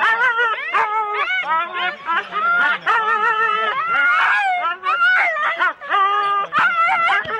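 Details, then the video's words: Husky sled teams of four dogs at the start, Rendlesham, January 2016, many dogs yelping and barking at once in high, drawn-out wavering cries edging toward howls, a nearly unbroken excited chorus. "4 dog Husky teams - the complete start"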